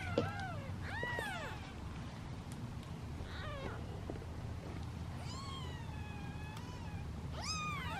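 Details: Impatient kittens, seven waiting in a basket for their meal, meow in short arched cries and one long, level, drawn-out wail near the middle, spaced irregularly over a low background hum.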